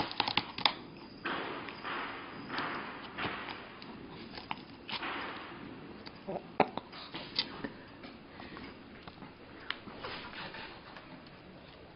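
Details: Indoor room with rustling, sniffing, soft taps and clicks and occasional murmured speech as a Pomeranian tries to reach a sausage, with no barks or other calls.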